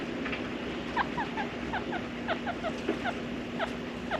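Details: Pet male chinchilla, cinnamon grey coat, born September 2015, giving his usual call, one the females do not make: short squeaky chirps, often in quick pairs, about a dozen over four seconds, over a steady low hum.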